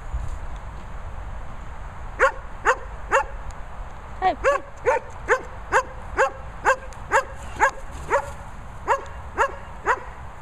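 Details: Sophy and Toby, German Shepherds, give steady sharp barks about two per second after a short quiet start, each bark bright with a clear falling tail.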